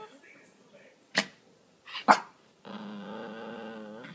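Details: Male Miniature Pinscher named Cooper begging for his laser toy, as he does most evenings: two sharp barks close together, then a steady, high, wavering whine held for over a second in a quiet room.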